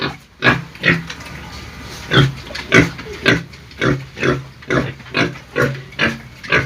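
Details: Pig squealing sounds: rough, nasal grunts repeated in a loose rhythm almost twice a second, each burst brief and breathy with a low hum between them.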